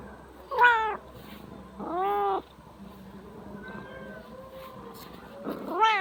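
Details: A drowsy Siamese cat, described as very lazy and just awake, meows three times: a sharp first call, a longer wavering second, a faint tonal murmur, then a loud final meow.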